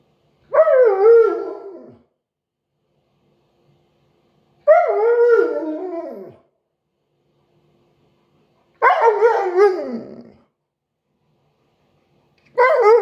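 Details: Siberian Husky howling in four drawn-out, harmonic bursts about four seconds apart. Each starts high and slides downward in a wavering, voice-like way, with silence between them.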